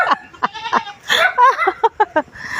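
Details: Lively goat on a provincial farm calling in a burst of short, clipped bleats, then longer wavering, nasal bleats in quick succession, with human voices close by.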